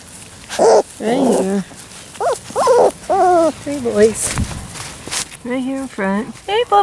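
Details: Labrador Retriever puppies from the Sasha & Moses litter, male pups, recorded 10/28/13 outdoors on their first day on the lawn; high, arching whines come in short bursts, some wavering, over a person talking softly to them.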